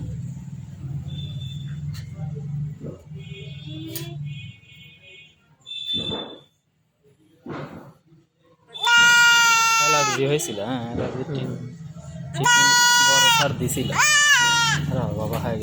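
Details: Goat bleating in distress during castration: after a quieter stretch of low hum and voices, loud wavering cries break out twice, each lasting over a second, over talk and music.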